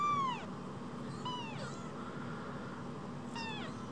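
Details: A pair of tiny rescued kittens, about the size of a mobile phone, utter three short high meows that drop sharply in pitch, with quiet gaps between, over faint steady background noise.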